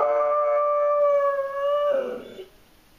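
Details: German Shorthaired Pointer Abby, suffering separation anxiety, holds a single level howl for about two seconds before it cracks and fades into a rough, falling tail.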